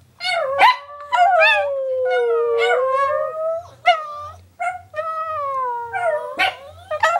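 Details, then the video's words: A group of three Chihuahuas kept as pets joins in a howling concert: long drawn wavering howls that fall in pitch, layered voices, interrupted by short sharp yips and a few barks. "Concierto de chihuahuas"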